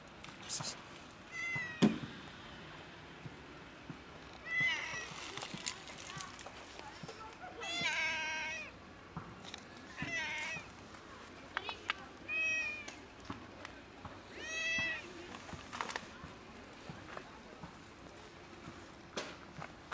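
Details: A cat described as sad, meowing outdoors in an urban setting: a series of drawn-out, wavering meows with bending pitch, about every two to three seconds, over a steady low hum and light background noise.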